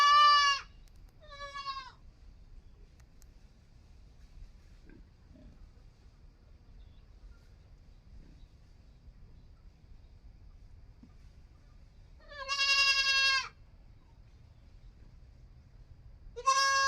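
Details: Goat kid giving high, strongly harmonic bleats with a quavering tremor: two short cries at the start, a long silence with faint low rumble, then one loud drawn-out bleat and another starting at the close.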